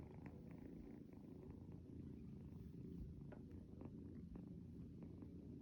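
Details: A pet kitten called Gen Pi Chong purrs at close range during its early-morning wake-up routine, a deep, unbroken rumble that stays level throughout, with occasional light clicks and rustles of bedding.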